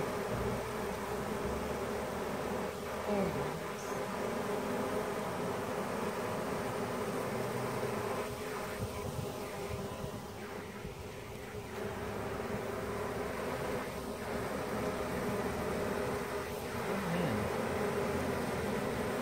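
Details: Honey bees from a removed swarm, the Surgergrove Swarm, fanning and climbing from a leftover branch into a hive box where the queen was placed. A continuous even drone of many wings, with brief soft voices now and then.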